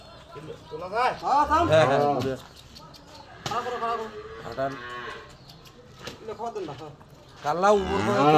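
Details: A dairy cow lows with long, drawn-out moos whose pitch rises and then falls, one early in the recording and another at the end, with quieter lowing between and faint human voices nearby.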